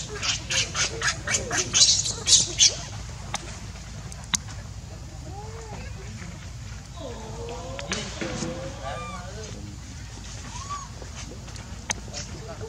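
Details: Baby monkey Leo, hungry, crying and begging its mother for milk: a run of shrill, noisy cries pulsing several times a second for about three seconds, then softer wavering whimpers over a steady background hum.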